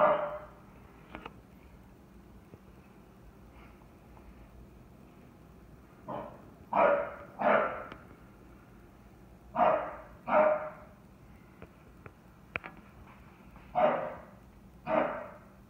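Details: English Bulldog named Merle, a chocolate tri merle, barking excitedly at a bucket after he and other dogs knocked it over; loud, short barks in quick pairs separated by pauses of several seconds, quiet background otherwise.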